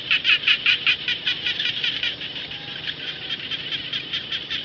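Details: A rice-field frog, khiat jana, opens with a loud string of quick, regular pulsed croaks, about five a second, then fades into a softer, continuous chorus of other calling frogs.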